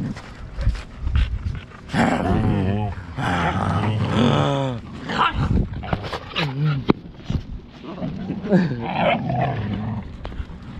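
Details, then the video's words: Siberian Huskies fighting at home. Drawn-out, wavering vocal growls arc up and down in pitch several times, mixed with huffs, scuffling and a person's voice breaking in. "my huskies fighting!"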